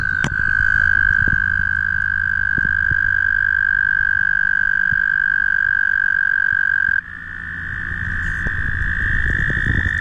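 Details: Noisy mating toads at the Guildwood waterfront: a loud, sustained, even-pitched trill runs unbroken for about seven seconds, then another toad's slightly higher trill takes over, over a faint low rumble.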